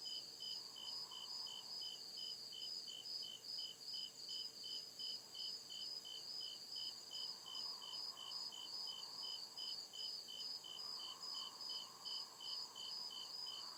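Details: Deep-woods crickets at night giving continuous rhythmic high-pitched chirps, regular pulses layered in several bands, steady throughout with a gentle hissing backdrop and occasional soft swelling murmur.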